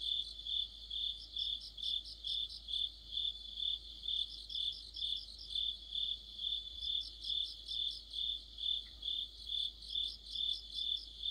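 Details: Insect orchestra led by crickets in the middle of autumn: evenly spaced shrill chirps roughly twice each second, joined by intermittent quick clusters of higher ticking notes from another singer.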